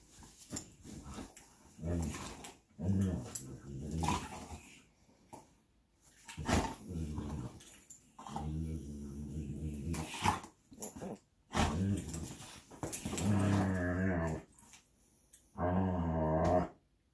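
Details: Two Belgian Malinois, Bullet and Apollo, playing tug of war with their favorite toy indoors; repeated harmonic, drawn-out growling and whining bursts of one to two seconds, separated by short pauses and scuffling noise.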